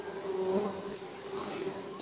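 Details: Kept stingless bees (klanceng), Trigona laeviceps and a home-crossed Biroi x Laeviceps hybrid, in hive boxes during a honey harvest; a steady, low droning hum holds throughout, with faint handling noise.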